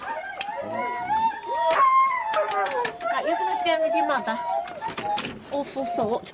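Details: Huskies at a sled dog race weekend in the Forest of Dean, November 2001, taken from an old VHS tape: many dogs whining and howling together in wavering overlapping tones, punctuated by sharp yelps and barks.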